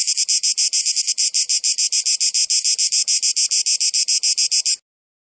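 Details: Cicada noise: a loud, high-pitched rasping buzz beating in quick regular pulses, roughly three or four each second, that stops abruptly near the end and leaves silence.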